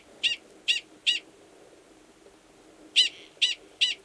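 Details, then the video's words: Male Gunnison's prairie dog mating call, identical in sound to its alarm call, given near an estrous female's burrow, Valles Caldera National Preserve, New Mexico, March 2017. Two sets of three high, clipped barks separated by nearly two seconds of quiet. "Prairie Dog Mating Call"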